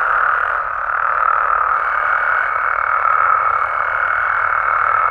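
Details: Mexican frogs and toads calling through the night: thick, constant croaking from many animals blends into one even mid-range hum, and a faint thin whistle-like tone appears partway through.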